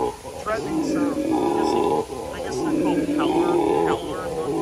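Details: A dark-coloured howler monkey at the San Antonio Zoo gives a deep, rolling roar that swells and fades in long, throaty waves.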